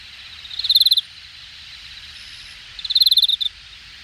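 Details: Insect calling from grassy undergrowth in Hangang Park's Jamwon area, Korea, late summer, August 2021: two quick trills of about eight high, sharp pulses each, separated by two seconds of faint steady hiss.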